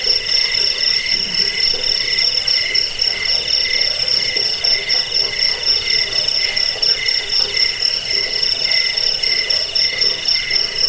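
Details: Crickets, a recording sold for repelling rats, lulling people to sleep and training songbirds: a dense, steady high chirping with a shrill pulsed band over a lower buzzing band, continuous throughout, with no other sounds.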